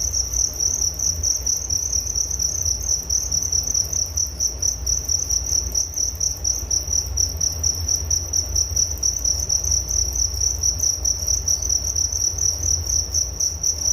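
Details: Crickets chirping as a relaxing nature sound for sleep: a continuous high, pulsing trill made of rapid even chirps running without a break, over a faint low rumble in the background.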